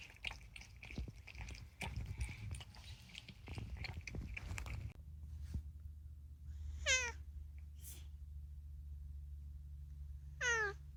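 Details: Indoors, Unagi, a talkative rescued male cat, makes mostly food-related calls. Crunchy chewing fills the first five seconds, then a steady low hum and two separate sharp, descending meows around seven and ten seconds.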